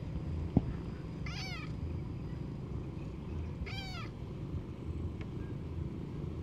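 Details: A cold wild cat gives two clear meows, each a short falling, wavering cry about two and a half seconds apart, over a steady low rumble of background noise and a single sharp click.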